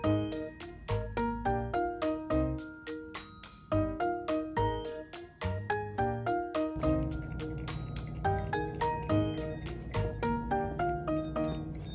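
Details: Bright, tinkling keyboard music with a steady bass line plays from start to finish, and nothing else is heard.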